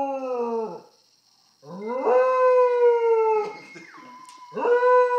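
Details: Grandmother's pet dog howling at an iPhone: long tonal howls with rich harmonics, rising then holding steady, the middle howl dropping sharply in pitch near its end, with short pauses between.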